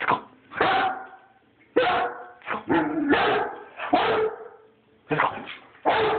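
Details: Rhodesian Ridgeback barking: loud, harsh, deep barks, some single and some in quick doubled bursts, about eight over six seconds with short silences between, recorded on a phone.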